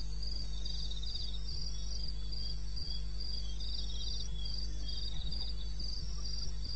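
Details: Night chorus of crickets in eastern Botswana's wilderness, taped at 2:30 AM on 21 May: rapid high pulsing trills, overlapping and slightly uneven, above a steady low-pitched drone.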